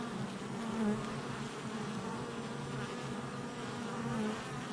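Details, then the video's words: Honey bee activity at a hive entrance, July 22nd, 2024: a steady, low buzzing drone from numerous bees, swelling louder near the start and end as bees pass close. "Honey Bee Hive Entrance Activity"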